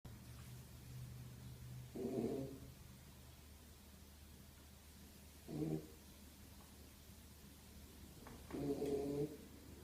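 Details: Beagle named Zion asleep indoors, snoring steadily: three low, rough, grinding snores roughly every three to four seconds, each lasting under a second, with quiet room hum between them.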